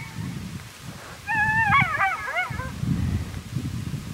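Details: At daybreak, the male of a coyote pair, angered at callers too close to its territory, lets out a brief run of sharp, quavering yips and squeals, a challenge in reply to human howling. Low rumbling noise and faint music sit underneath.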